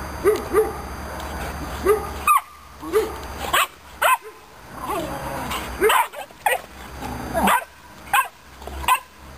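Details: Aggressive Romanian Mioritic Shepherd Dog puppy giving short, sharp, high yapping barks in uneven bursts, some doubled, separated by brief pauses, with a steady faint background hum.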